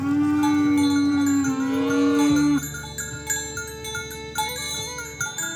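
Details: Oxen herded toward a rice field and farm barn, a cow calling friends to the pen: one long steady low moo for about two and a half seconds, then quieter lowing with faint chiming bell-like tones throughout.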